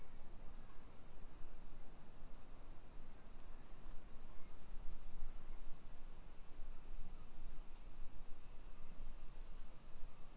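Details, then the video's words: Steady, high-pitched shimmering drone of summer cicadas in suburban Nisshin, Aichi Prefecture, Japan, on a July 2021 afternoon walk, unbroken for the whole stretch over a soft low background rumble. "Summer Cicadas Sounds"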